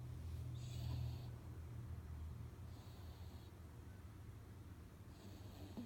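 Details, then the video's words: Sleeping three-month-old Chihuahua and Jack Russell cross pup, a female, snores loudly: short hissing, snorting breaths about every two seconds, with a constant low droning background. "Our 3 months old Chihuahua/Jack Russel snores like a big man"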